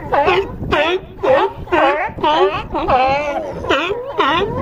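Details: A California sea lion on a harbor dock at Crescent City, California, gives a run of about nine coarse, harmonic barks, roughly two per second. Each bark dips and then rises in pitch, like a hoarse honk.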